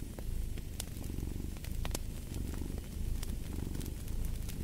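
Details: Low, pulsing rumble of a purring cat, evenly sustained with slight swells, beneath loud snapping and crackling from a burning fireplace.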